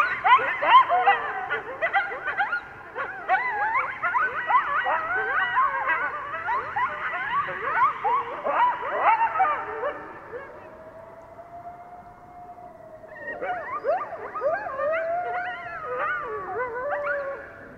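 Coyotes howl and yip together in a wavering chorus of sliding, overlapping high-pitched voices.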